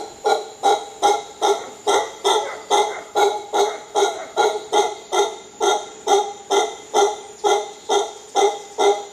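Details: Howler monkeys in Costa Rica giving a steady series of deep, harsh grunting pulses, about two or three each second, each with a rich layered tone, held evenly throughout with a faint constant high hiss behind.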